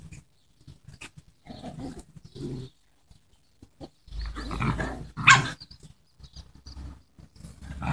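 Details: Parti-coloured Miniature Schnauzer puppies from a litter born 23 March 2015 make short snuffling grunts and squeaky snorts in irregular bursts, with a louder rough squeal midway and soft handling noises.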